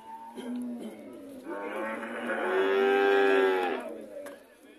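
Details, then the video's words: Red cattle on their way home, one long harmonic moo swelling from a low start to a strong, steady drawn-out note of about two seconds, with fainter lowing around it. "the cow's homecoming process"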